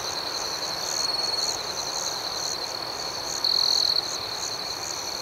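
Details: Rhythmic night chorus of crickets, shrill continuous trill with pulsed chirps about four per second above, a louder half-second buzzing surge late on, otherwise calm and even.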